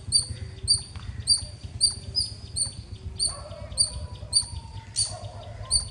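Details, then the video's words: A squirrel chirps loudly in high, clipped notes, evenly spaced about every half second, roughly eleven calls in all. Softer tonal sounds and low rumbling noise sit beneath the calls. "Loud Squirrel ❤️ Chirping Sounds - Squirrel Lovely sounds 🐿 | ఉడత అరుపులు మీరే వినండి.."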